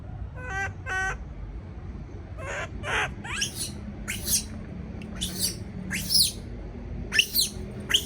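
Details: A baby monkey left alone in a cage gives shrill, squealing cries of fear.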